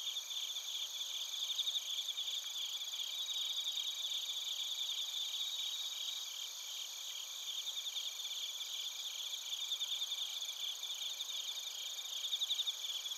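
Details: Chorus of bell crickets and field crickets from Narita, Chiba, Japan, captured with a TASCAM Portacapture X8: unbroken high-pitched ringing with fast pulsing trills, several insects overlapping at steady volume, occasional louder bursts of chirps.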